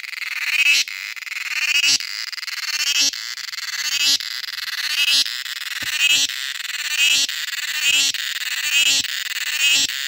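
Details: A cicada in Kerala in summer gives a loud, high buzzing drone that swells and breaks off about once every second.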